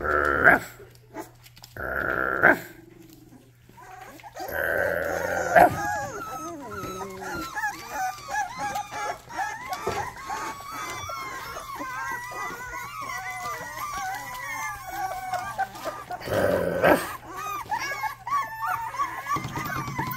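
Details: Rottweiler puppies from a litter of eight making some of their first barks: short barks early on, then a long stretch of many overlapping high, arched yelps and whines from several pups, with background music and soft voices.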